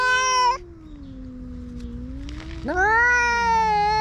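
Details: A grey-tabby-and-white cat chases off a ginger tabby intruding on its territory in a fight. A strident yowl breaks off into a long, low moaning growl, then a rising wail swells again.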